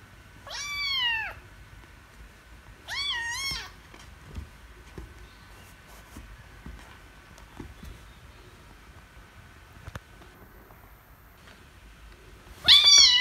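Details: Angry kittens after a lost wrestling bout, meowing loudly: two short sharp meows in the first four seconds, a long quiet stretch with faint taps, then a final loud cry at the end.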